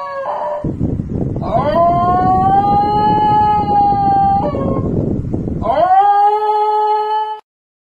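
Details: Basenji dog yodelling and howling: long sustained tonal notes that rise then level off, broken by pitch jumps and short gaps, over a constant low rumbling background noise.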